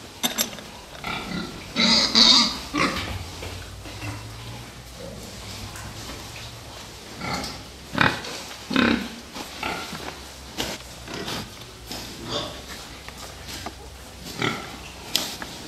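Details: Fattening pigs, with one loud, shrill squeal early on, followed by a long stretch of scattered short grunts and squeaks over a low, constant hum.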